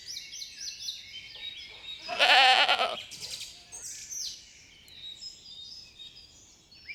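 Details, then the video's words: Sheep on a spring meadow, grazing leisurely; one strong, quavering bleat lasting about a second rises above continuous bright birdsong, with a softer echoing bleat just after. "Sounds of sheep bleating"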